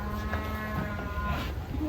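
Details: Fattened cattle, agitated while being loaded onto a truck, giving a steady low, droning moo with stacked harmonics that lasts the whole short stretch, over background noise.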